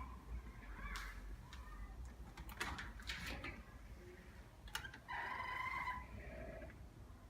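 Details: Nak G, a male pet cat born 19 May 2017, indoors at home waiting for his owner to return from work and play: rustling and clicks lead into one drawn-out, tonal, slightly falling meow lasting about a second.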